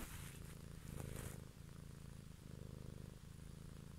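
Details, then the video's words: Cat purring up close for an evening ASMR recording, a deep continuous rumble swelling and fading with each breath, a brief rustling touch near the start. "ASMR Cat song"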